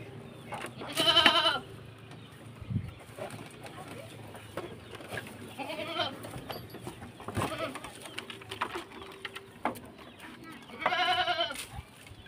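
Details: Goats kept by a beginner farmer, having stripped the leaves down to bare twigs, with a male repeatedly trying to butt; two loud, wavering, quavering bleats at the start and end, fainter bleats between, over low farmyard background noise.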